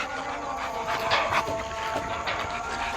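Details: Male and female Rottweilers with a German Shepherd out on a street: fast, breathy dog panting comes in soft rasping bursts against a constant wash of outdoor background noise.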